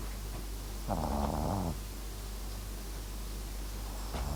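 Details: Papillon-Japanese Chin mix Max asleep, giving one longer rattling, growl-like snore under a second long, then quiet with steady low hum.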